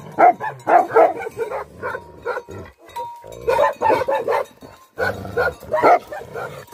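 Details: Angry Tibetan Mastiffs, called Bhote Kukur, barking in rapid overlapping bursts, with short pauses and a faint steady tone in the background.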